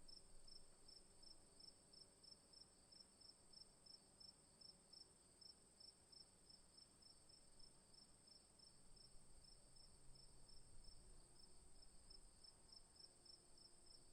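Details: Crickets trill steadily in the afternoon, high pulsing chirps over a faint low background hum.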